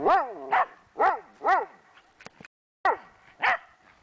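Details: Female Pembroke Welsh Corgi barks sharply in quick succession, about two per second, while playing and chasing her frisbee outdoors in a January snowstorm in Columbus, Indiana.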